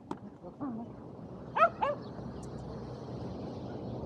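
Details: Two Shetland Sheepdogs, Power and Beat, playing frisbee together on a sunny day, 23 February 2022; two short, sharp barks in quick succession midway, with fainter yips earlier over steady outdoor background noise.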